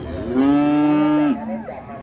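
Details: A big, fierce cow in Indonesia, described as raging, lets out a long, flat, low moo lasting about a second. It is followed by a quieter, wavering tail and then silence.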